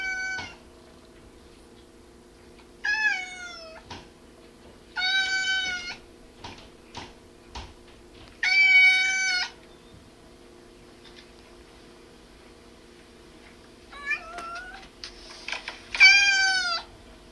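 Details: Domestic cat meowing while a goldendoodle listens and tilts its head; six drawn-out, arching meows come in an uneven series over about seventeen seconds, with gaps between them, over a steady low indoor hum and faint clicks.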